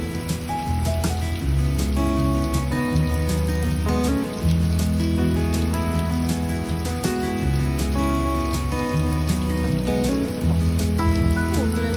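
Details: Background music with a steady bass line and held melodic notes plays throughout, with no animal calls.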